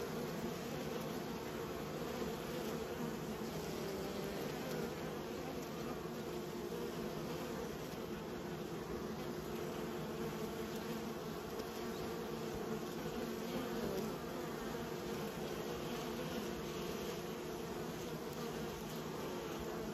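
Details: A colony of honey bees being raised, a constant rich humming drone with stacked harmonics, unchanging over twenty seconds.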